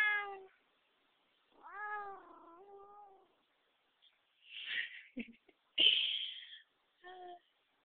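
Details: Domestic cat mimicking a human's meow indoors: clear harmonic meows with a falling tone, one longer wavering meow around two seconds, then short noisy breathy sounds and a final brief meow.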